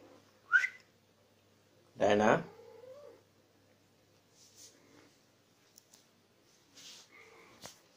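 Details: Diana, a female Persian cat in heat, calling indoors: a sharp rising yelp, then a long drawn, wavering harmonic wail lasting about a second that slides upward at its end, followed by softer short calls and faint room sounds.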